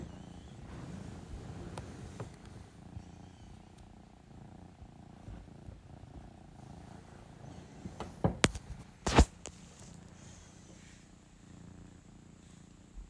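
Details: Female cat wanting cuddles and affection gives a soft, low purr that fades after the opening seconds, followed by loud handling knocks and rustling bursts.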